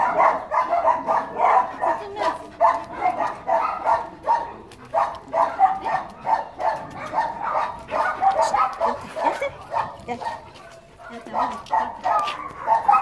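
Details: A white Labrador mix named Rubio gives rapid, mid-pitched bark-like bursts, several per second, continuing through most of the recording with a brief lull near the end before resuming.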